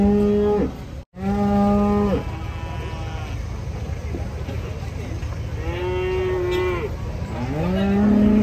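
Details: Cattle being unloaded, jumping down from a truck; several long harmonic moos, some flat and some falling at the end, with a short break near one second, over steady low rumbling background noise.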